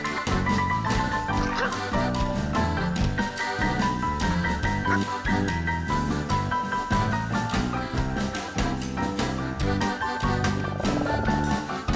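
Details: Busy instrumental music with marimba-like notes and a steady beat plays throughout, with a hint of speech underneath.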